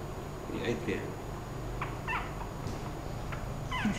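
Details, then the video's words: Mylee, a five-week-old female Thai Teacup Chihuahua puppy from Hua Hin, Thailand, indoors at home, gives short, high, thin whimpering squeaks in a few quick bursts while a woman talks softly in Afrikaans close by. "Mylee - 5 Week Chihuahua Puppy"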